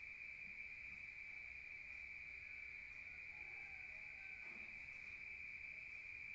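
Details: Rural night crickets, heard from outside, hold a continuous high-pitched trill, with faint low murmuring sounds and a short soft knock in the second half.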